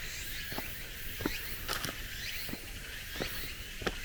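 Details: Cicadas still singing at summer's end on a cool mountain forest road: a steady high shimmering chorus with repeated rising sweeps, under sharp footsteps crunching on gravel and stone paving.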